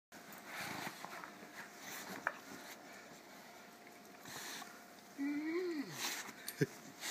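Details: Indoor dog, from a household with an English Mastiff and an American Staffordshire Terrier. A single brief whine rises and then falls away. Soft sniffing, shuffling and a few clicks are heard before it.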